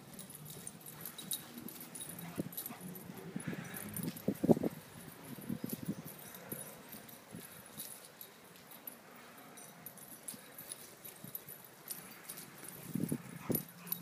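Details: Great Dane puppies playing give low, short grunts and whimpers in scattered bursts, with soft rustling between.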